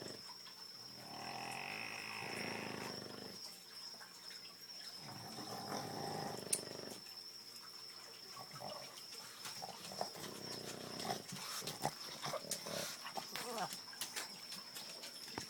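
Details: Sleeping Boston Terriers snore in slow, raspy breaths at 2am, each rough rumble lasting a couple of seconds, loud enough to hear from the next room.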